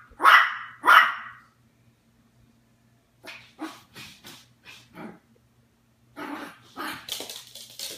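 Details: Daisy, a Yorkshire Terrier no longer a puppy, barks while watching Puppy Bowl 2015 on TV. Two loud, sharp barks open, followed by a string of softer, shorter yips and barks, then louder barking again near the end.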